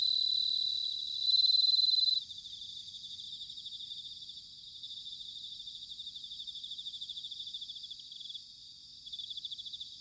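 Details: Autumn song of bell crickets at Sanuki, Chiba, Japan: a loud, clear ringing phrase opens, followed by softer overlapping high trills pulsing rhythmically with short pauses.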